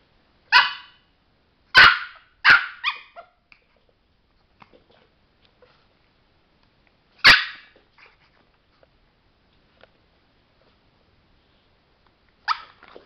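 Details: Male pet Chihuahua, a trained trick dog watching a light and wanting to press its button, gives sharp barks: three in quick succession, then an isolated bark several seconds later and a final one near the end, with silence between.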